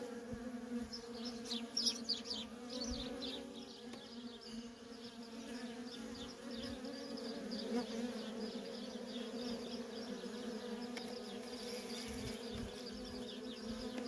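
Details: Worker honey bees streaming nonstop at a feral colony, giving a steady low buzzing drone throughout. Bright, high chirping calls cluster in the first few seconds above the hum.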